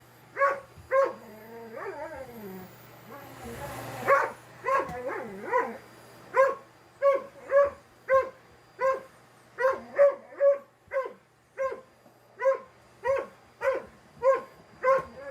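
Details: A 4-year-old male Dalmatian battling a vacuum cleaner gives a long run of sharp, mid-pitched barks, repeated roughly twice a second.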